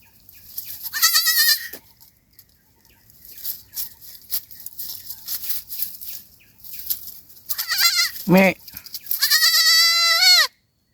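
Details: Lost kid goat separated from its mother at night in the forest: a high trembling bleat near the start, a brief human call, then a longer, loud, quavering bleat near the end.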